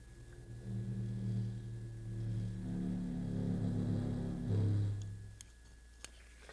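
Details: Blue whale deep, drawn-out moans played an octave too high at twice normal speed, following a fin whale, with a faint rattle from objects in the playback room rather than the original recording.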